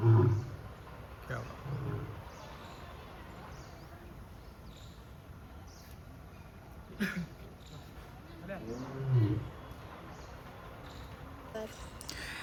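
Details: A lion at Siddharth Garden Zoo in Sambhajinagar gives deep, rumbling roar grunts in short bursts while turning toward the visitor, with a man talking in between; recorded 27 March 2026.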